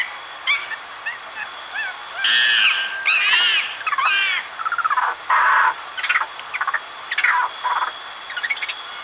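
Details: Screaming monkey playing in its natural habitat: a mix of short squeaky arched notes and harsh clipped bursts, irregularly spaced, some loud, some faint.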